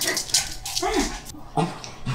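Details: Black Shih Tzu named Jjanga, indoors in cold winter, refusing to wear new clothes its owner ordered; short high whimpers and yips while a woman's voice coaxes the dog by name to try them on.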